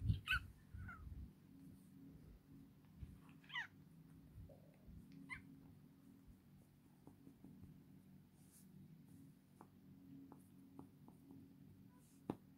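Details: Domestic cat giving several short, quiet meows spaced a few seconds apart, each a brief harmonic burst, over a steady low hum and occasional soft clicks and knocks.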